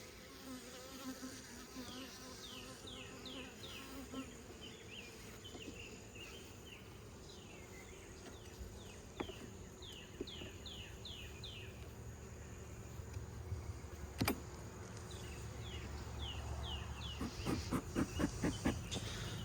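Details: An angry Western honey bee drones in a low, steady buzz as it flies around a hive being reassembled during an inspection, with the bees tired of the disturbance.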